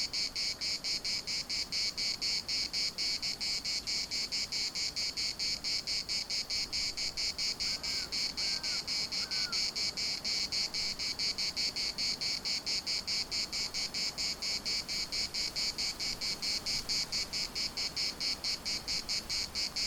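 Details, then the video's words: Cicadas at the municipal park, Larnaca, droning in a high, rapidly pulsing buzz that never lets up; around the middle, three quick harsh bird notes cut in faintly, with gentle wind behind. "CICADAS at the municipal Park Larnaca"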